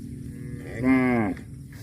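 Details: Cow giving a short moo of about half a second, a harmonic-rich tone that rises slightly then falls away, with a low background rumble before and after.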